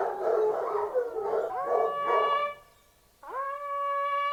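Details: Hounds baying in chorus during a fox hunt for about two seconds, then a hunting horn sounds steady blown notes, a brief quiet gap, and another long horn call.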